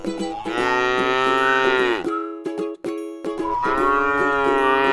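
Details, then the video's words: Tame cow feeding on grass in a rice paddy field, one long bellowing moo followed after a gap by another, with a constant musical backing. "suara sapi lucu jinak yang sedang makan rumput di ladang sawah"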